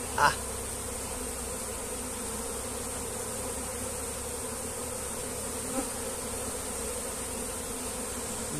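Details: Continuous low hum of honey bees swarming a comb as a person tries catching them by hand. An even, unbroken buzz, with a sharp tap at the start and another midway.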